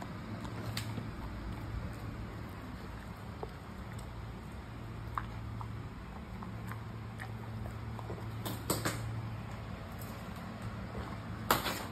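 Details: A steady low hum fills the background, broken by scattered soft clicks and a few sharper crunches of eating. No barks, whines or other animal calls are heard.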